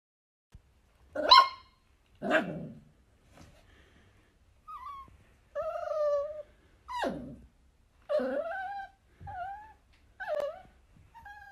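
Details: Mini dachshund, a sausage dog from a compilation of dachshund puppies, gives about eight separate vocalisations over eleven seconds: sharp yelps at first, then tonal, wavering whines and short nasal whimpers with pauses between, in a quiet indoor setting.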